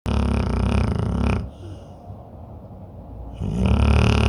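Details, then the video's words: Pit bull snoring in deep sleep: a loud, rough, low-pitched rattling snore for about a second and a half, a quiet pause of two seconds, then the next snore starting. "pitbull roncando no sono profundo"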